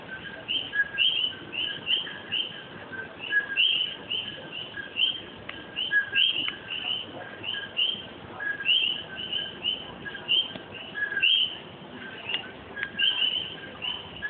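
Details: A night chorus of common coquís in Puerto Rico, many frogs overlapping with sharp two-note 'co-kee' whistles.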